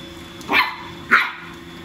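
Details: Long-haired female Chihuahua puppy barking while fighting a robot vacuum cleaner indoors; two sharp, high yapping barks about half a second apart, over a steady mechanical hum.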